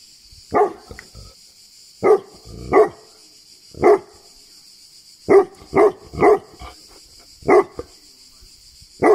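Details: Tibetan Mastiff named Bagira from Greece giving deep, loud barks, some single and some in quick pairs, spaced irregularly across the stretch, over a steady high-pitched hiss in the background.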